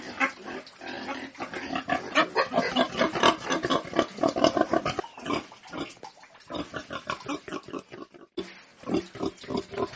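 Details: Farm pigs giving rapid, rough grunts about two per second, irregular and overlapping, with a few louder squeal-like bursts before a short pause near eight seconds.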